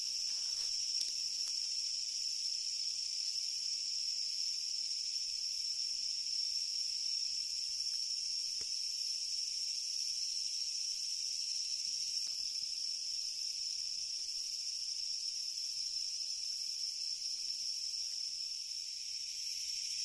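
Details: Japanese leaf katydid of Japan producing a steady, shrill, rapidly pulsed buzzing song for twenty seconds, even in loudness, with a few faint clicks.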